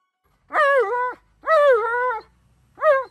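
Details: Tonka, an Alaskan Malamute, yelling and demanding at his owner: three drawn-out, harmonic howl-like vocal calls, each wavering and bending in pitch, separated by short pauses.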